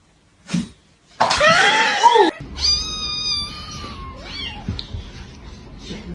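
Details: A cat gives a loud, harsh, drawn-out meow lasting about a second, followed by a long, steady, tonal cry that slides gently down. A person speaks briefly nearby in a small indoor room.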